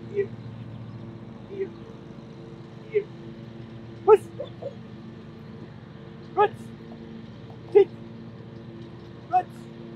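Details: German Shepherd mother Christi with her 9-day-old puppies: short high squeaky puppy calls recur every second or so, over a steady low hum, with a woman's voice praising the dog nearby.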